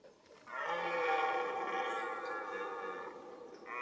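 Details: Red deer roaring during the rut, the mating season: one long, loud, harmonic bellow that swells after a short quiet start and holds steady for about three seconds before easing off, with no other clear sounds.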